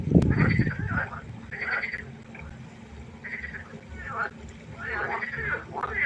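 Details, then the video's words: Frogs calling at night by a pond: several overlapping nasal, pulsed croaks in bursts of about a second, with a louder low thump at the start and a steady low hum underneath. "1 Stunde Froschkonzert. Frosch Geräusche quaken. Frösche Geräusche Konzert"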